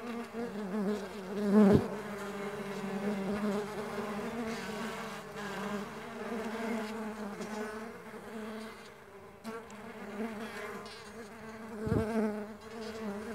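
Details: Mandaçaia stingless bees flying: a continuous nasal droning buzz, wavering in pitch as individuals come and go, with a sharp knock near two seconds and another near twelve.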